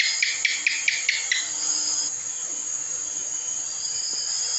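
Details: House gecko (cicak) calling: a quick burst of about seven sharp, clicking chirps in under two seconds, then silence, over a steady high insect-like hiss in the background.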